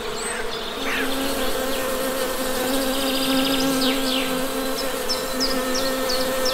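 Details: Steady humming drone of honey bees, rich and even with a clear pitched tone, while brief high bird chirps and short twittering phrases sound in the background.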